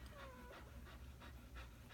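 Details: A short, high, slightly falling squeal from a newborn puppy of Tilly and Dawson's litter, followed by soft rhythmic breathy puffs about three times a second, with a low electrical hum underneath.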